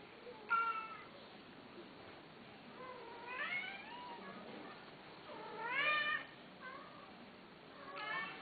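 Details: Male cats, apparently caged at a cattery, giving several meows: short rising-falling harmonic cries at about half-second, three, six and eight seconds, some drawn out and wavering, over a faint steady indoor hum.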